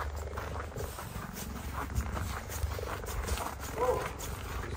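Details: Captive female cheetah voicing displeasure as a male cheetah intrudes on her territory after leaving her enclosure in snowy winter; low, steady pulsed rumble throughout, overlaid by a woman talking quietly.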